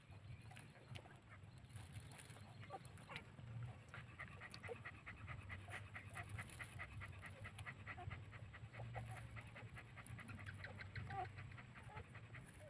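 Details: Two-day-old puppies breastfeeding, giving a steady run of soft, rhythmic clicking and smacking suckling noises about several times per second, over a low background hum.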